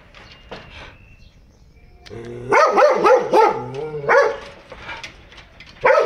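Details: In a house holding many foreign-breed dogs, one launches a rapid run of about five loud, coarse barks in quick succession. After a pause comes a single final bark, over a faint murmur.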